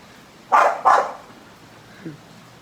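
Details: American Bully dog, angry at not catching a bubble blowing toward it in the wind, gives two loud, harsh barks about half a second apart, then a faint short sound; steady background hiss.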